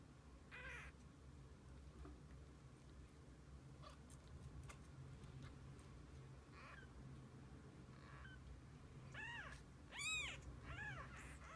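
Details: Kittens with their mother cat spending the day together; several short arched meows, mostly clustered near the end, over a low steady background hum.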